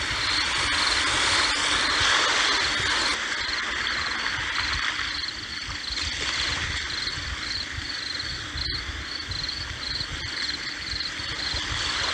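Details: Crickets chirp with sea waves in a relaxation recording: steady, rapid, high-pitched pulses repeat evenly throughout. Beneath them runs a constant broad hiss of surf, and a brief click sounds near the end.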